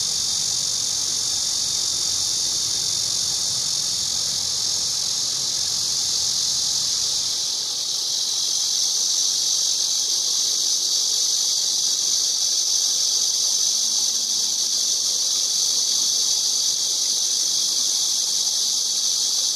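A cicada gives a loud, steady, high-pitched buzzing drone without pause.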